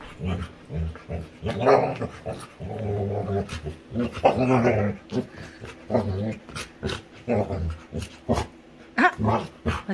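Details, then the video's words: Female Labrador retriever making funny sounds while playing with her owner, a steady series of deep, throaty growl-grunts, some drawn out, overlapping with a person talking and laughing. "Cutest Dog Makes Funny Sounds While Playing | Funny Lab Dog"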